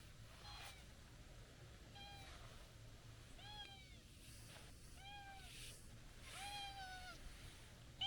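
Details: Brown tabby-and-white stray cat scolding after a long absence outdoors; soft, faint meows with bright harmonics, each a short rising-falling arc, repeated about once a second amid a steady low hum of background noise.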